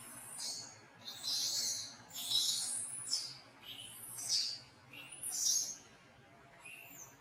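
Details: At Angkor Wat Park, a monkey cries out under discipline from another monkey: a run of six harsh, very high screeches, each lasting about half a second to a second, repeated roughly every second, softening toward the end.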